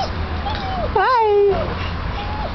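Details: Seven-week-old Basset Hound puppy gives one wavering, high whine that rises and then falls, lasting about half a second, while people greet the puppies in a friendly voice around it.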